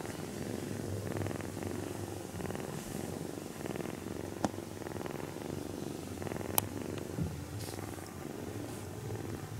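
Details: Sleeping kitten, stroked carefully so it stays asleep, purrs in a continuous low buzzing rumble that swells with breathing, with light rustling and a few small clicks.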